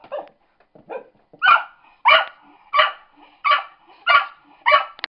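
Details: A pet cocker spaniel that dislikes computers barks at a laptop: two softer opening yips, then six loud, rough barks repeated at a steady pace about every two-thirds of a second, with no other sounds.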